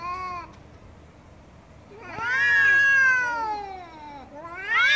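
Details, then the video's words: Angry cat yowling loudly: a short meow at the start, a quiet gap, then a long swelling wail that climbs and slowly sinks, and a fresh rising yowl cut off at the end. "MAULLIDOS de GATOS ENOJADOS 😾🔊 ¡Gatos Maullando Fuerte!"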